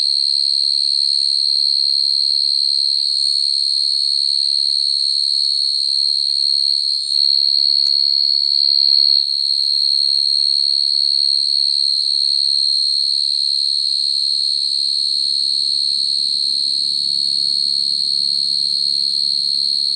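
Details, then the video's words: Crickets singing naturally to call females, sound used to trap them at night; a constant high shrill tone runs on evenly, while a faint low murmur builds in the final seconds. "Tiếng dế mèn kêu, dế cơm kêu dùng để bẫy dế chuẩn"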